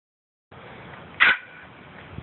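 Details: Poodle, recorded on an Android phone, lets out one short, sharp bark midway through an otherwise quiet stretch of low background hiss.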